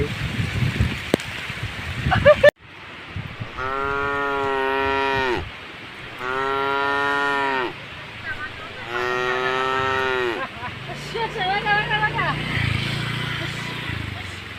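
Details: Cow passing through standing water on a forest-edge road, giving three drawn-out, evenly spaced moos after a sharp click, followed by a low engine-like hum and scattered knocking sounds.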